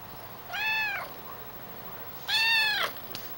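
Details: A female Calico cat in her kitten years meows while chatting with her owner. Two clear, tonal meows about two seconds apart, each arching up and then falling. Quiet room with a faint background hiss.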